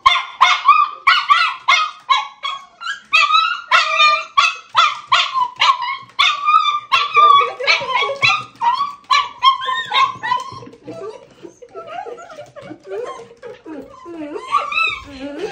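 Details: Miniature Schnauzers Jiji and Toto greeting a much-loved former housemate visiting their Japanese home, remembered after years; rapid high excited barks and yelps about three per second, easing into squeaky whines and whimpers near the end.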